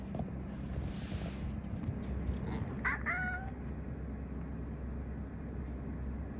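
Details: House cat voicing a brief chirping meow that ends in a higher rising note near the middle, otherwise quiet apart from a low steady hum and a soft rustle at the start.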